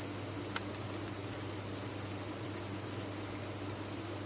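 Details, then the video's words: Dense chorus of many crickets at a cricket farm: a steady, high, shimmering trill that never pauses, with one brief click near the start and a faint low hum underneath. "Sound of a Cricket Farm"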